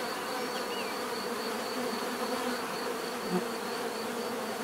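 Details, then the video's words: Short stretch of steady bee buzzing, a dense low hum with a faint high whine and a brief chirp-like flick near the start. "bees therapy relaxing natural buzzing sound"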